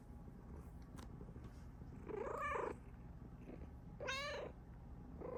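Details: Female Bengal cat meowing happily while her owner is around: a quiet soft click, then two clear arched meows about two seconds apart and the start of a third, over low room hum.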